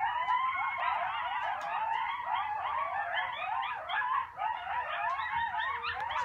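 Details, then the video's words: A chorus of coyotes howls together at sunset on Sullivans Island, South Carolina, with many wavering, overlapping high voices rising and falling. "Coyotes howling at sunset on Sullivans Island, SC"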